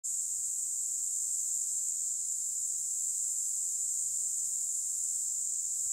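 A locust gives a steady, high-pitched electric buzz that holds unbroken throughout.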